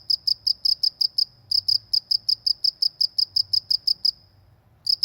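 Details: ['Cricket in a peaceful rural setting, a long even train of sharp high chirps at about three per second, a brief break, then chirping resumes; quiet low ambient noise underneath.']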